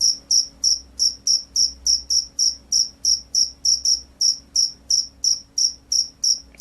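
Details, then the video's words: Vigorous gacor field cricket (jangkrik sawah) sings a run of about twenty sharp, high-pitched chirps, evenly spaced at around three per second, with only a quiet low hum behind. "SUARA JANGKRIK SAWAH"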